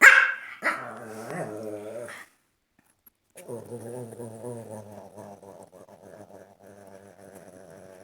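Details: A dog producing weird, funny noises: a sharp yelp-like burst, then a wavering, growly moan, a brief silence, and a long stretch of quieter warbling, harmonic grumbling that rises and falls.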